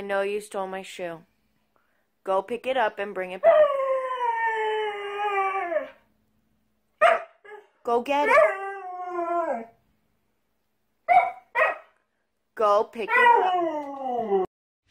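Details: A Husky's 'talking' comes in several drawn-out, tonal howls. Each slides downward in pitch, the longest lasting about two seconds, with short choppy yelps and silent gaps between the bouts.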